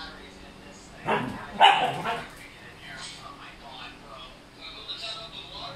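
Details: Male Siberian Husky, noisy because a female nearby is in heat: a sudden loud, harsh vocal outburst of two strong pulses lasting about a second, then quieter yips and a low murmur of human voices talking in the background.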